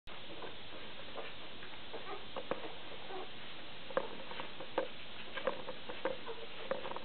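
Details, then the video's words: Two-day-old Border Collie puppies of the C litter from the Isengrund kennel give faint, short, high squeaks, clustered in the second half at intervals of about half a second to a second, over a steady background hiss. "Border Collies v. Isengrund, C-Wurf, Alter:2 Tage"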